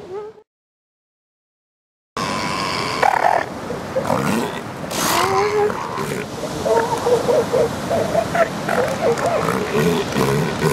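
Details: Elephant seals during mating season, adult females fending off big amorous males as pups scramble clear; after a silent gap, harsh throaty bellows and groaning roars rise over a steady surf-like rush.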